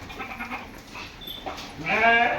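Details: Osmanabadi goat bleating: faint murmuring notes, then a loud wavering, buzzy bleat rising in the last second.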